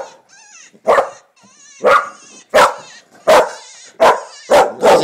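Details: English Springer Spaniel named Finnegan barking repeatedly at coyote calls coming from a computer. Loud, sharp barks roughly every two-thirds of a second, six in a row, over wavering, quavering coyote howls from the speaker.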